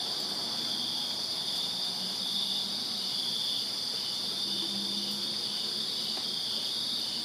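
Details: Backyard crickets in Virginia on a summer night keep up a continuous high, ringing trill from many callers, with faint low murmurs of distant noise underneath.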